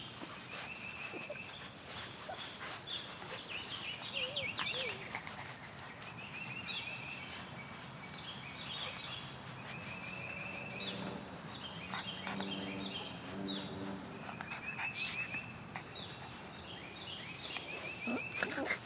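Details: Great Pyrenees puppies, 37 days old, recorded 1 March 2015, with a person calling them over; many high, repeated whining and yipping notes stack densely across the stretch, interrupted by lower rhythmic bursts, over steady outdoor background noise.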